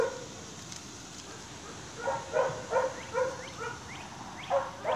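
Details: Almost seven-week-old Staghound pups at play, chasing each other; after a quiet start, a handful of short yelping barks come in a quick irregular cluster.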